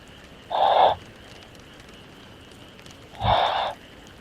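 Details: Sasa, a dog asleep in summer, snoring: two breathy, rasping bursts roughly 2.7 seconds apart, each under half a second long, separated by a low steady hiss.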